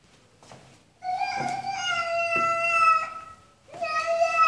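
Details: Cat meowing in a small room, two sustained tonal meows with rich harmonics, the first long and steady, with faint speech and soft knocks in the background.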